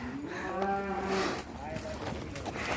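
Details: Agitated cattle raging inside a pen at Duta Farm 61 in Kuningan, West Java: one steady, harmonic moo of roughly a second, followed by shuffling, voices and background music in the barn.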